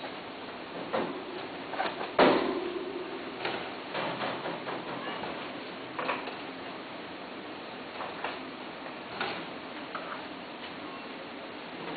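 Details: Indoor knocks, clicks and a door sound with faint speech; no animal voice is heard.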